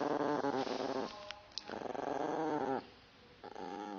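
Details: Indoor female Yorkshire Terrier provoked by her owner's teasing growl, snarling back in long rumbling growls with wavering pitch; two sustained bursts are separated by quieter, lower growling, and a short third burst closes the recording.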